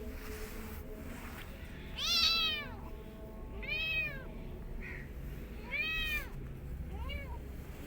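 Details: Cat meowing amid a mother cat and her kittens: four arched meows spaced roughly one to two seconds apart, rising then falling, the first loudest and the last shorter and fainter, with steady background hiss.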